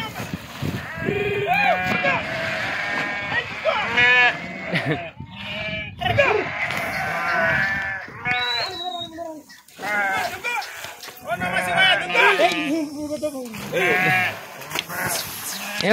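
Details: Sheep being moved by farmers across a river, swimming through the water; repeated wavering, nasal bleats from several animals overlap with people talking throughout.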